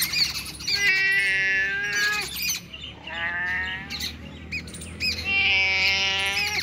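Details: Cat found two kilometres from home, giving three long, steady, drawn-out meows with rich overtones across about seven seconds, each ending with a slight fall, while a dense chorus of chirping birds fills the background.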